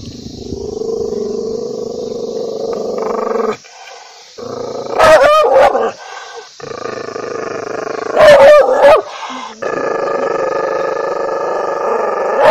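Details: Angry dog snarling in long, loud growls with brief pauses, punctuated twice by sharp clusters of barks.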